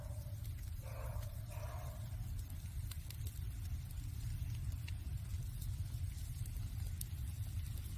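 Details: A cat meows in winter beside a crackling wood fire. One drawn-out, tonal meow lasts about a second near the start, then fades. A steady low rumble and scattered sharp crackles from the burning logs continue throughout.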